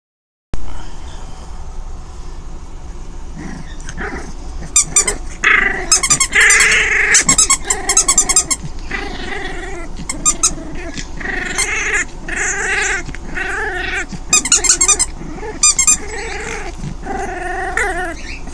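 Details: Five-week-old orphan foster puppy named Delia, a female, playing alone with toys indoors; rough harmonic growls mixed with rapid squeaky toy bursts and rustling, sounds coming in irregular clusters throughout.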